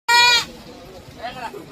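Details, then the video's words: Goat calling while grazing and feeding on a farm: one short, bright, nasal bleat with a strong harmonic stack, about a third of a second long, followed by quieter background noise and a faint second voice. "Funny goats sound"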